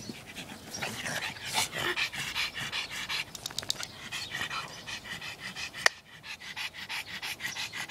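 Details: Pugs playing together, breathing in rapid, rough pants and snorts that repeat in short bursts throughout, with a sharp click near the end.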